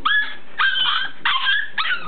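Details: Indoor dog throwing a fit because he hates his pen: loud, high, whiny yelps and howling cries in four drawn-out bursts, each wavering and falling slightly in pitch, with brief gaps between.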